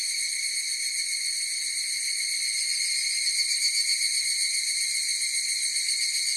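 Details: Higurashi cicadas singing as a chorus: a continuous shrill, ringing drone of stacked high tones that holds steady and unbroken throughout, with a faint rapid shimmer and no other animals, voices or music.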